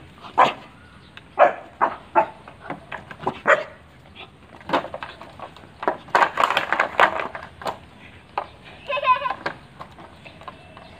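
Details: Pit Bull Terrier barking in short sharp bursts, singly and in quick clusters, with louder overlapping barks around the middle and uneven gaps between them; faint background voices.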